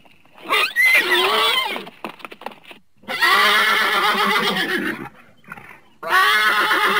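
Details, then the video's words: Horse whinnying in long harmonic bursts: a loud shrill call near the start, then a sustained wavering neigh, a short pause with faint rustling, and another strong whinny at the end. "horse sounds"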